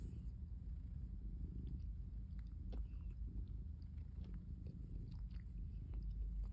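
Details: Calico cat lying in a basket, purring and kneading; a continuous deep purr fills the clip, with small crisp ticks and rustles from its claws on the basket.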